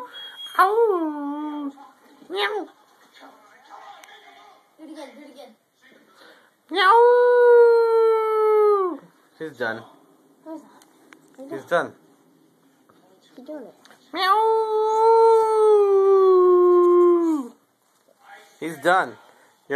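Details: Pet dog singing indoors: two long sustained howls, each about two to three seconds, with a person talking in between and quieter whines scattered through.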